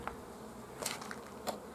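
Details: Honey bees at a Romanian apiary on 15 July 2016, during the honey flow as honey is extracted from bio-hives. A steady, dense hum fills the clip, broken by two sharp clicks or knocks near the middle and end.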